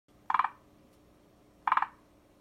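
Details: Forest green tree frog calling: two short bursts of rapid clucking pulses, about four or five knocks each, spaced over a second apart, mid-pitched and hollow, over quiet background with a faint steady hum.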